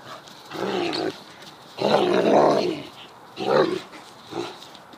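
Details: Garden romp between two Deerhounds, the pup Mackie squaring up to Rascal: rough, rumbling growls in four bursts, the longest over a second, rising and falling between short pauses.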